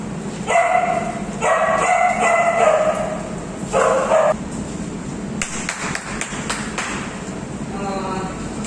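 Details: Chloe, an Alaskan Malamute, with her friends: several drawn-out, tonal woo-like vocalizations in quick bursts over the first four seconds, then sharp knocks and clatter, ending with a faint, thin whine.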